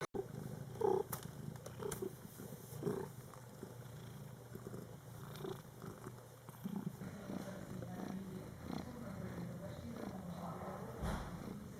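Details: ['Mother cat with her Scottish Fold kittens born July 22, 2012, in their first month of life; steady low purring fills the recording, with a faint short mew near the first second and soft rustling.']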